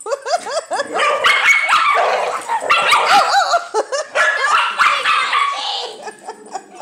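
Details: Female Dachshund furiously defending her nest from a neighbour's dog that wanted to play; rapid, frantic high yips and barks tumble over each other with rising and falling whining tones, nearly continuous for seven seconds.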